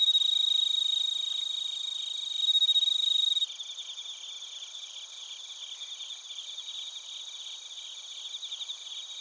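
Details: Bell crickets and other crickets chirping in Narita, Chiba Prefecture, Japan, recorded on a TASCAM Portacapture X8: a dense, high shimmering trill for the first three seconds, then quieter rapid pulsed chirps repeating steadily, several insects overlapping.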